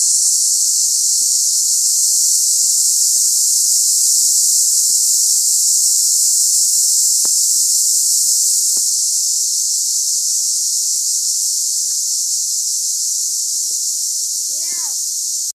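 Cicadas keep up a steady, high, hissing buzz that fills the air without a break.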